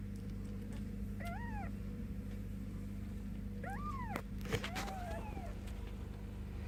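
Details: Ten-day-old Bengal kittens calling: three high, bending mews spread over about four seconds, the middle one longest and arching, with a soft click and a constant low background hum.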